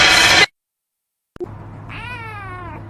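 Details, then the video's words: House cat being told off for chewing plants gives a single drawn-out meow, steady then gently falling, after a brief burst of a woman speaking and a short silence; faint background hum throughout. "cats meowing"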